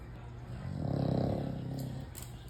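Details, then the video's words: A sleeping American Bully dog snoring: a single low, rough, vibrating snore swelling and fading over about a second and a half, with faint background noise. "American bully snoring very loud"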